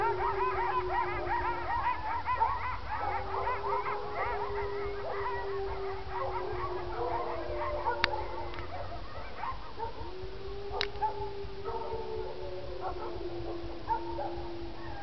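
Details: Coyotes at night near a neighborhood, howling in long wavering tones with high overlapping yips and quavering cries; owner guesses it may be feeding time.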